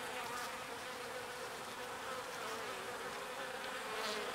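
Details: Small bees foraging on pollen and carrying it back to the hive. A steady, dense buzzing hum from many bees, with a strong tone near the low-middle range and a brief louder swell near the end.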